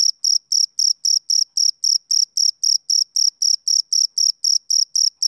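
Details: Male cricket giving a steady series of sharp, high trilled chirps near four per second, loud and clear, nothing else heard.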